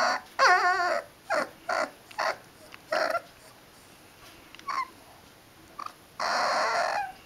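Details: Liver and white dog growling and howling: a wavering howl opens, followed by a run of short choppy yips and grunts, then a final sustained howl.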